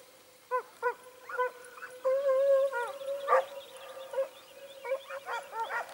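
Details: Hare-hunting Segugio Italiano, short- and wire-haired, at Sofiko in Greece's Evros region, 18 October 2015. Scattered yelping barks lead into one long drawn-out howling bay, then broken yelps and barks resume.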